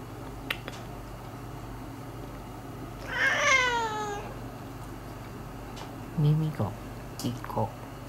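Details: Domestic cats Turi, Madhu and Miko in tense household rivalry after newcomer Miko took all the territory and began attacking Turi. One long, wavering, harmonic meow bends downward over about a second, followed by brief soft human voices and small knocks.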